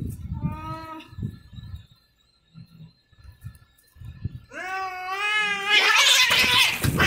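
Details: Cats fighting, with drawn-out wavering yowls: two short harmonic cries near the start, then a longer, louder rising and falling wail that breaks into harsh noisy screeching at the end. Low voices and thumps sound in between.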